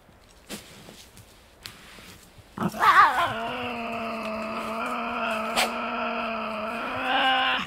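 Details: Wild Tasmanian devil at night in the Tasmanian bush, feeding and squabbling over food. Soft taps lead into a loud moaning growl that wavers at first, then holds steady for about five seconds, broken once by a sharp click.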